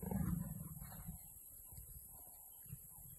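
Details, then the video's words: Mating leopards: a loud, low growl bursts out at the start, then fades into quieter pulsing, throaty rumbles over the next few seconds. "Mating leopards"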